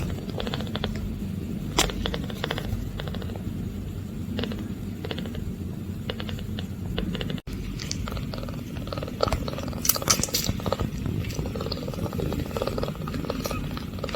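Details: Munchkin kitten, eight days old, purring for the first time: a steady low rumbling purr runs throughout, with scattered clicks and handling rustles and a brief dropout midway.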